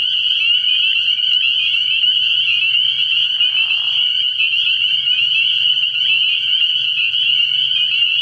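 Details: Spring peepers chorus at a frog pond on an early-spring night, high shrill peeps running without pause. A short lower-pitched burst rises midway over a faint steady hum.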